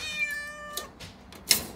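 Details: A frightened six-month-old calico kitten named Mikene cries while delivery workers are in the house in Okinawa: one sustained, even meow, followed by sharp knocks and thumps.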